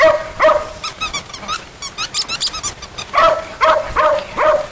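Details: Puppies at play with other puppies: short, high, harmonic yips and barks in loose bursts, a run of thin high chirping sounds in the middle, then four spaced yelps near the end.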